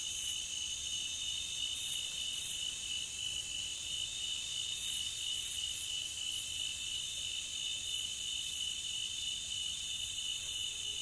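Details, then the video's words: Crickets chirr unbroken in a nature ambience piece, a high buzzy wall of rapid pulses in several parallel tones that holds a steady level from start to end. "Nature Cricket Sound"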